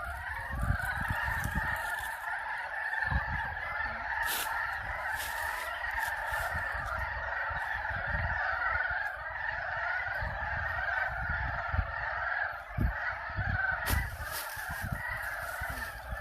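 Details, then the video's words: Many frogs calling in a spring mating chorus at a pond in Yulgok Arboretum, a dense continuous croaking wall with overlapping pulsed calls, steady throughout, with some low rumbling noise beneath. "개구리 짝짓기 울음소리(율곡 수목원 연못) Frog mating calls (Yulgok Arboretum Pond)"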